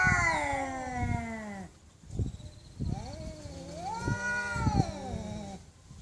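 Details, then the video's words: Loud cat meows, long wavering wails that slide downward and then rise again, broken by short pauses and faint thumps. "Cats Meowing Loudly"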